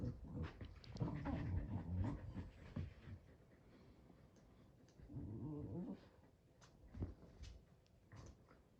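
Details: Boston Terrier growling and grumbling while playing tug, showing displeasure when the game is not played with enough enthusiasm; low rough growls in bursts, a long one near the start and another around the middle, with soft panting between.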